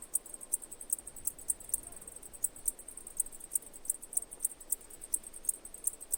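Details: Sparse cicada chirps: bright, high clicks spaced irregularly, about three a second, some louder than others, over a soft low rumble.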